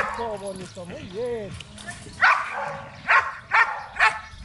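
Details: Belgian Malinois during protection training in Zumpango, State of Mexico. A man's voice opens the clip, then four sharp, evenly spaced barks follow in the second half, about half a second apart.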